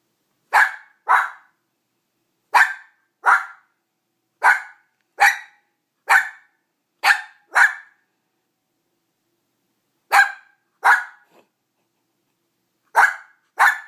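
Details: Auggi, a pet dog, barking because he wants the rawhide that Greta is enjoying; sharp barks in pairs, about thirteen in all, with short pauses between pairs, indoors.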